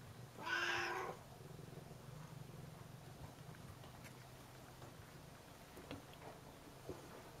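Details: Domestic cat meowing to ask for a door to be opened, acting curious; one short, loud, harmonic meow lasting about half a second near the start, followed by quiet background hum.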